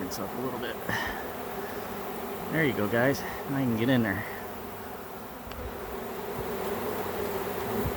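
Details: A swarm of honey bees found in a back yard and being captured gives a steady, low droning hum throughout, with a man's voice speaking briefly in the middle.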